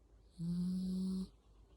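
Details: Sleeping Yorkshire Terrier cradled in arms gives one steady, low, nasal hum of a snore lasting nearly a second, even in pitch and slightly rising at the end, over faint background hiss.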